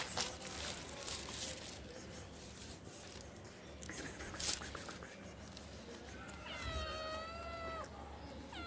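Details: Hungry stray kitten on the street asking for food: a burst of two or three drawn-out, wavering meows near the end, after quieter moments of background street noise and faint rustling.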